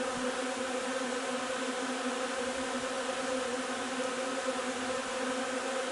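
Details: Honey bees humming at a hive during the linden nectar flow, 3 June: a thick, uniform buzz of many insects, harmonic-rich and unchanging, with no other noticeable sounds.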